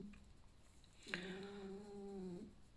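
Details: Indoor pet male fox resting after an active, playful night, not ill, lets out a nasal creaking drone that starts with a sharp click and holds one low, level, buzzy pitch for over a second before cutting off; faint room noise behind.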